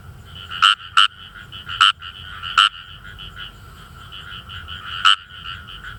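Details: Kawamura's rice frog chorus from rice paddies in northern Saitama Prefecture, Japan: loud, abrupt, harsh croaks, some in quick pairs, rising above a steady background of many fainter, overlapping croaking calls.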